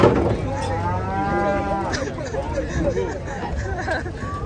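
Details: A giant sacrificial cow lows while being unloaded from a truck. A long, drawn-out moo with a clear harmonic stack holds steady for about a second and a half, then fades into excited onlookers talking and calling out warnings.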